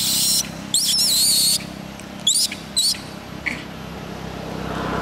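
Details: A little monkey cries to ask its mother for help: shrill, wavering high squeals in two long bursts, then shorter squeaks and one fainter chirp, over a low steady background hum.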